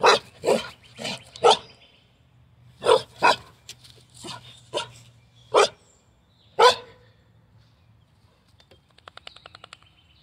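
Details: Carolina dog (American dingo) at morning play gives a run of quick, clipped barks, some in close pairs, then falls silent; a faint rapid ticking follows near the end.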